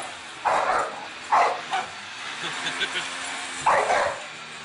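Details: A dog confronting a vacuum cleaner lets out three loud, short barks: two about a second apart, a pause with faint chatter and clicks, then a final sharp bark.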